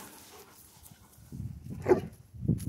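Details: Central Asian Shepherd during playtime: after a quiet start, low gruff rumbles build, then a single louder, tonal bark-like yelp rises out, followed by another short rough grunt.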